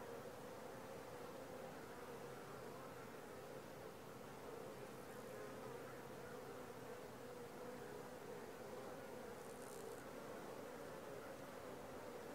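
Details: A colony of honey bees busy at the landing board of a new Langstroth hive on day four after the transfer from a nuc. A steady, droning buzz continues throughout, with a faint lower hum partway through and brief higher whirs from bees flying close.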